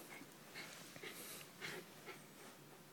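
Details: West Highland White Terrier named Nitaro panting: soft airy huffs about every half second, hissy and unvoiced, over a quiet background.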